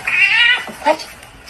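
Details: Domestic cat from a compilation of talking cats: one short, high, drawn-out meow, then a fainter second note, with a person speaking nearby.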